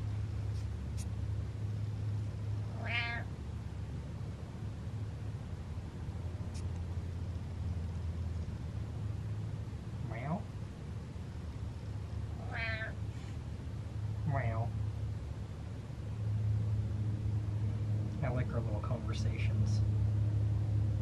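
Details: Pet cat making small talk with its owner indoors: a few short, rising chirped meows spaced several seconds apart over a steady low hum and background noise.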